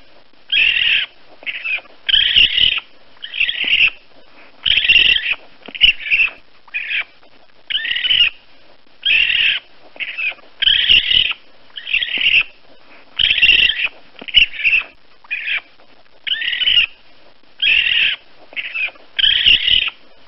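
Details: Young raccoon repeatedly uttering high, raspy chirping squeals in a steady stream of roughly two dozen short bursts with brief pauses between them; background otherwise quiet.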